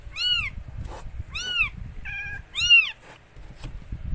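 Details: Mikey, a rescued stray cat, giving birth to four same-coloured kittens: three short, high, arched mews about a second apart, with a brief flat tonal note between the second and third.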